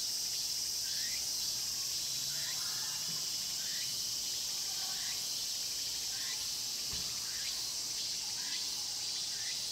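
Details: In Mokgye pine grove at Cheongsong, cicadas fill the air, recorded on a Panasonic LUMIX GX9. A bright continuous drone with regular upward-sweeping buzzy notes about every second and a half.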